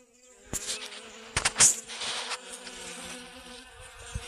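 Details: Several honey bees foraging for pollen on a sunflower in a garden, 25 August 2021. A soft, steady hum sits under sharp close rustling and tapping noises.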